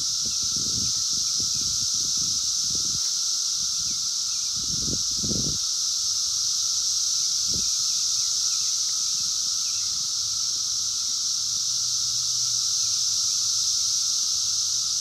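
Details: Wild 17-year Brood X periodical cicadas during their 2021 emergence, recorded on a phone: a dense, unbroken high hissing drone with a steady lower whine beneath, plus a few low thumps and rustles early on.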